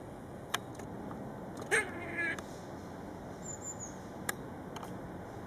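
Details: Curious, friendly grey squirrel at the back of a house, up close. It gives one short, nasal, harmonic whine, slightly wavering and lasting about half a second, among faint clicks and a steady background hum.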